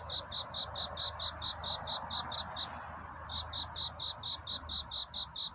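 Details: Cricket singing at night toward dawn, a love-seeking courtship song: high, pure chirps repeated about twice per second in a steady train, briefly pausing midway before resuming, over a soft background hiss.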